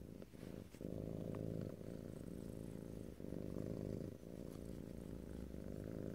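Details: A domestic cat purrs loudly and richly, a dense low buzz with a fuller, brighter texture, swelling on each breath with short dips between cycles.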